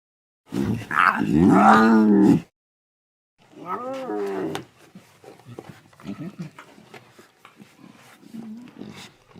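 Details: Lion cubs at play. A harsh, growly mewing with layered overtones lasts about two seconds. After a short pause comes a briefer whining cry, then a scatter of soft grunts and scuffles.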